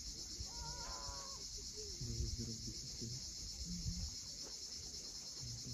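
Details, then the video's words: Crimean coast at Cape Fiolent, sunset: cicadas sustain a continuous shrill buzz above a quick run of rising bird chirps, low tonal bursts and the soft roar of waves. "Cicadas at sunset."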